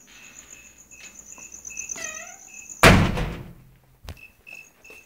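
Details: Crickets chirping in steady short pulses, a high thin trill repeated rapidly, broken midway by a loud thud or bang and a brief downward sweeping sound before the chirps resume.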